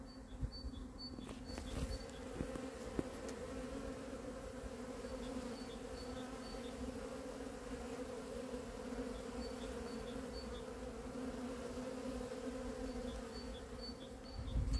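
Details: On a sunny 13 February 2023, honey bees sensing spring fly about in a continuous low, even buzz with a steady higher overtone throughout. Faint high repeated chirps and occasional clicks run in the background.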